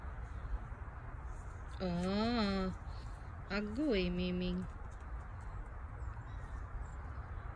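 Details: Ginger cat named Gingeroo giving two drawn-out, tonal meows about a second apart, each lasting close to a second and swelling up then easing down in pitch, over a steady low background hum.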